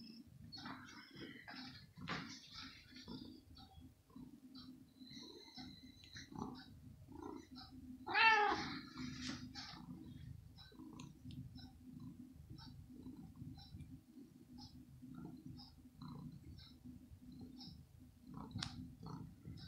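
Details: Kitten being fed raw meat in the morning, its mother nearby, lets out a single short meow about halfway through amid continuous low rustling and eating sounds.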